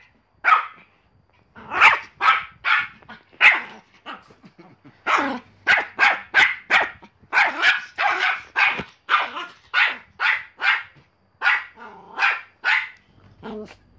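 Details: Pomeranian dog barking in rapid bursts: sharp, high yaps come in quick runs of three to six, separated by brief pauses, with a few softer whining notes near the end; quiet background.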